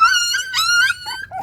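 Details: Jindo puppies, the litter of a dog named Baekhyang, described as very active: a loud, sustained high whine with rich harmonics, wavering slightly for about a second before breaking into softer, shorter squeals.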